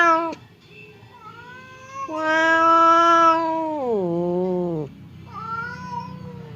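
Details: Hostile house cat Temon confronting quiet Lelo across a partition, trading threats: a low moan, then a loud, strained yowl that drops sharply in pitch, followed by a fainter wavering wail.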